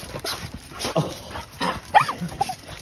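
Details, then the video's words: Border Terrier among a household pack of dogs, greeting its owner at a woodland home; short, high whimpers and yips come in scattered bursts, the sharpest rising and falling near the end, over rustling and shuffling. "Unconditional Love: Embracing the Heartwarming Greetings of My Loyal #Dog Pack #borderterrier"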